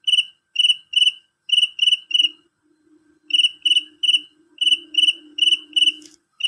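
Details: A male cricket calls loudly and shrilly. Its clear, ringing chirps come in runs, each chirp a quick burst of a few pulses. A pause follows, then the runs resume over a faint low hum.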